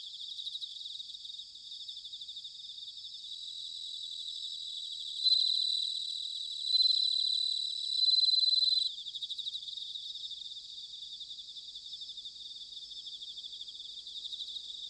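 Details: Bell cricket singing in autumn at Sanuki in Chiba Prefecture, Japan: a steady high pulsing trill, then three louder bell-like ringing notes around the middle, returning to the even trill amid other insects.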